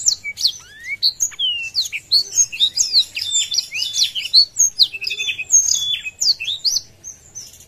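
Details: Blackthroat, opening its wings, singing continuously to provoke a rival: a fast, varied mix of high sweeping whistles and short twitters, with a brief buzzy pulsed trill near the middle.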